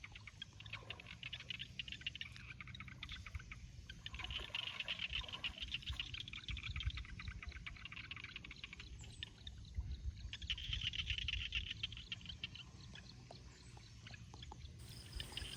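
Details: Small paddy frogs (khiat) calling at dusk in Thai rice fields during rice transplanting; a dense chorus of rapid crackling pulses, bright and overlapping, swelling in waves, with low rumbling background noise.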